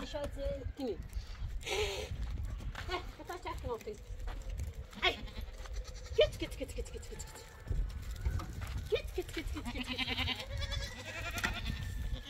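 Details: Domestic goats on a farm, shooed aside so chickens can eat seeds: short wavering bleats with stacked harmonics break through now and then, mixed with people talking loudly, footsteps and household clatter.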